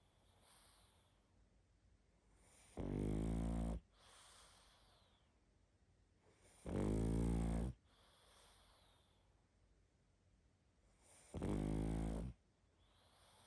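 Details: Sleeping pug snoring heavily, three loud rattling snores about every four seconds, each a coarse low vibrating buzz lasting around a second, with softer exhaled breaths between them.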